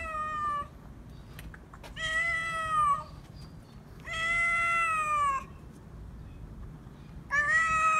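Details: A stray cat demanding to be petted meows loudly: four long harmonic meows, each about a second, steady then slightly falling, with short quiet gaps between them.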